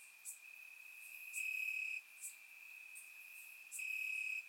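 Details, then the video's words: On a warm summer night in Bulgaria, crickets in the grass keep up a continuous shrill trill that swells in louder bursts of about half a second, with faint higher insect ticks scattered through, captured by a surround microphone. "Cricket Sounds - Crickets Chirping at Night"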